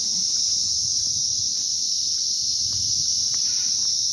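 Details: Crickets calling in a field at Mini Pahalgam, North Bengal, on a sunny day: a dense, continuous high-pitched shrill trill held steady throughout, with faint voices underneath.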